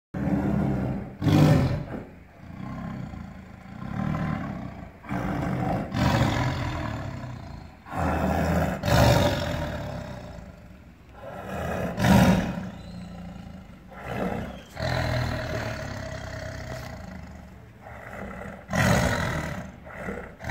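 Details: Tiger roaring in a series of loud, deep, rough bursts every few seconds, each swelling then fading, with rumbling low tones between outbursts.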